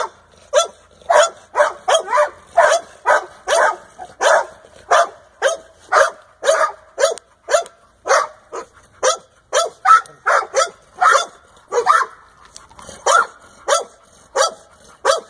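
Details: Older male American Staffordshire Terrier offered as a kennel dog, barking steadily in a regular series of sharp, mid-pitched barks, roughly two per second, continuing for about fifteen seconds with brief pauses.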